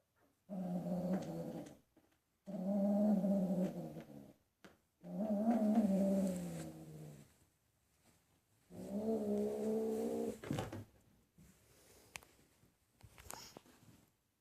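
A Bengal cat repeats drawn-out, moaning yowls, low and harmonically rich, each lasting one to two seconds with short pauses between. These caterwauling calls are given during mating.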